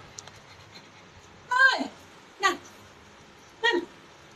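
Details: Percy the pug whining to go to his mom, believing he is tied: three short descending whimpers with rich harmonics, the first longest, spaced about a second apart in a quiet small room.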